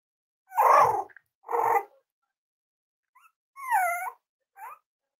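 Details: Cavalier King Charles Spaniel puppies at play with each other indoors: two rough, noisy growl-barks in quick succession, a pause, then higher whining yips that bend up and down, ending in one short squeak.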